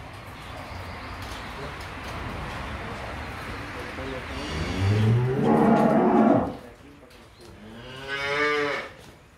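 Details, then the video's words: Dairy cattle for sale in San Miguel, El Salvador: a deep moo rising and swelling around five to six seconds, then a shorter second moo near eight seconds, over rough wind or handling noise. "vacas Lecheras"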